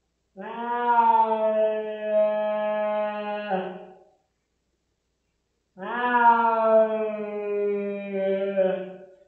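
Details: Rosetta the house cat reacting badly to veterinary flea pipette treatment indoors: two long, steady wailing howls of about four seconds each, separated by a silent gap.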